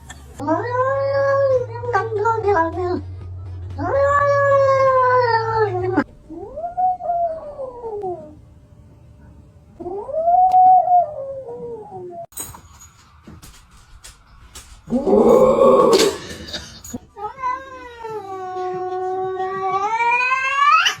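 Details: Domestic cats from a funny compilation give long, drawn-out harmonic meows and yowls that rise and fall in arcs, several in a row with short pauses, over people laughing, crying and shouting, and a low hum early on.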